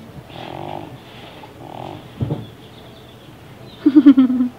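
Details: Baby, a deaf pet cat with neurological and breathing problems, snoring and snorting like a pig while awake. Two breathy, rasping snores come first, then a sharp snort and a quick run of pulsed, grunting snorts near the end.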